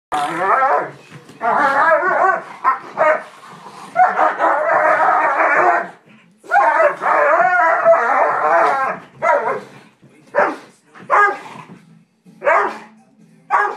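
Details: Two Dobermanns, Zoey and Capone, battling over a couch, Zoey refusing to give it up; long harmonic grumbling growls and yowls come in bursts, broken by short sharp barks and brief pauses.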